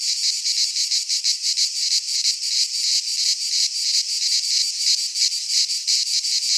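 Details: Midsummer cicada chorus in Greek pine woodland, a harsh high-pitched shrill throbbing in steady fast pulses, roughly three per second, unbroken and with nothing else audible.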